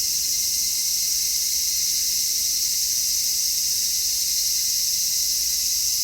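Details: Cicadas singing in midsummer, taped in stereo using an MKH-416 microphone; an even, relentless high-pitched droning chorus fills the whole stretch, unvarying in level, with a faint thin tone underneath.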